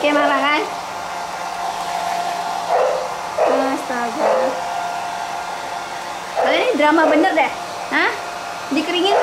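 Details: Pit Bull puppies protest during drying under a loud hair dryer. Scattered bursts of bending, nasal whines and yelps rise and fall in pitch, with a longer cluster near the end, all over a constant motor drone.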